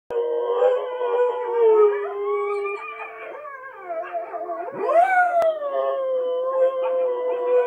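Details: Richie, a Siberian husky, howls in long, wavering tones, joining the howling of wolves on TV.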